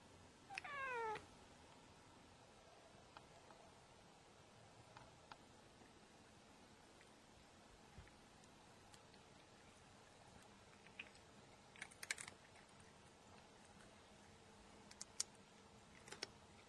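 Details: White female cat meowing to demand treats after hearing the word for treats, then eating them: one short, clear meow with falling tones near the start, followed by a quiet room with faint clicks and crunching.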